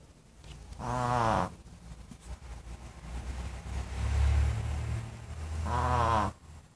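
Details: Snoring dog: two gravelly, vibrating snores about five seconds apart sit over a continuous low background rumble.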